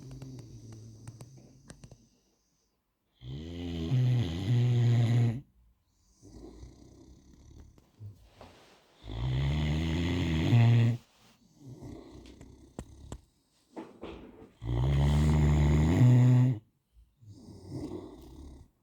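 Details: Loud, low, rattling snores from a sleeping male Great Dane come in roughly two-second bursts about every five to six seconds, with softer wheezy breathing filling the gaps.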